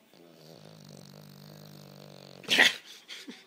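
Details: Sleeping Boston Terrier snoring: a steady, low rattling breath with a buzzy harmonic drone for over two seconds, then a sharp loud snort or sneeze-like burst and a couple of softer snuffles.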